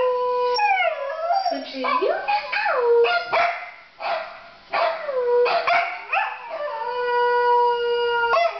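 A Pembroke Welsh Corgi howls in long, wavering tones that swoop down and rise again.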